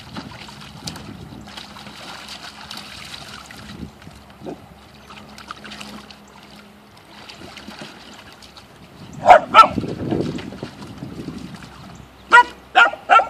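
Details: Poodle at a pool party on 16 May 2017, barking in sharp loud bursts, two close barks then three more in quick succession, over splashing water and faint background voices.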